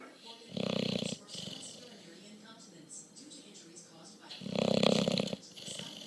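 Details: Sleeping bulldog snoring: two loud, rough, rasping inhalations about four seconds apart, each lasting nearly a second, with quieter breathing between.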